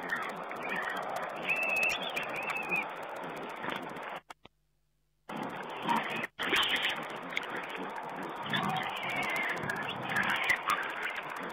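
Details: Wild boar piglets feeding at a camera site on 19 April 2010: thin, high squeals and grunty chatter over a dense rustling din, with a squeal near two seconds, a sudden drop to silence midway, then busy squealing and scuffling resumes.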